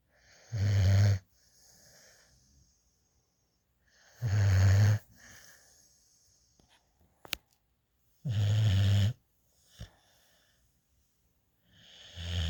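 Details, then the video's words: Sleeping in a lap, a young female rescue puppy drools and snores: three low, throaty snorts about four seconds apart, with soft wheezy breaths, a few small clicks, and another snore starting at the end. "Cute Puppy Sleeping in my Lap | Snoring"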